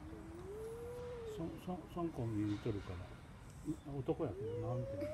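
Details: Two male cats, Siamlock and Naomi, fight outdoors in late afternoon on 16 February 2018. A long rising wail gives way to choppy, stuttering growls and snarls, then a second rising yowl climbs at the end.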